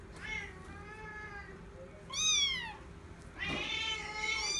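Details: Indoor Bengal cats Shelly and Arthur, third day since they met: a long drawn-out meow, then a short sharply arched one, then another long strained meow rising toward the end, harmonically rich, over faint room noise.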